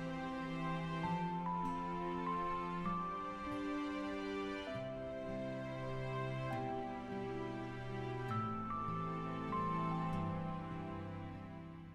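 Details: Soft, slow, melancholy instrumental background music with sustained tones and a gentle melody throughout, and no animal sounds.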